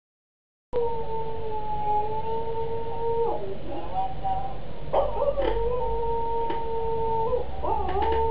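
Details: Pet cocker spaniel howling along indoors on hearing another cocker spaniel sing from a computer: long, steady, even-pitched tones with a higher overtone, wavering and breaking briefly midway before settling again.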